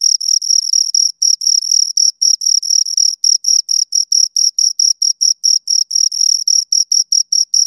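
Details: High, ringing chirps from two crickets, pulses tumbling in quick succession with slight unevenness where the two callers overlap, nothing else audible.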